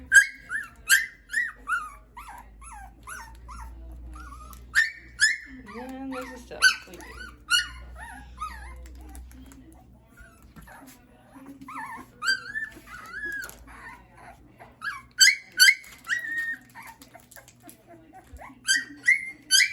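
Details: Schapendoes puppies at a kennel, high whimpers and squeaky yelps in irregular bursts, some rising and falling, with a woman speaking softly to them.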